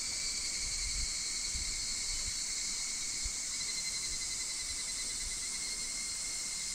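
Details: Higurashi cicadas heard in August 2026 at Minoh Park, Kawachinagano or Mount Koya, Japan: continuous pulsing, ringing tones over a high insect hiss, with a few soft low thumps scattered through.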